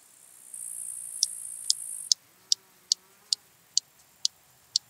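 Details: Stethophyma grossum, the large marsh grasshopper, recorded 26 September 2021 in Elsbethen, Austria. A thin high hiss fades out, then about nine crisp clicks follow at roughly half-second intervals, evenly paced and loud.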